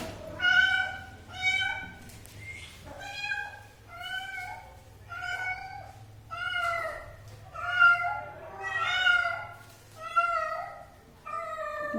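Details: Cat calling insistently indoors, about ten clear harmonic meows spaced roughly one second apart, each a short rising-then-falling wail, with little other sound behind them.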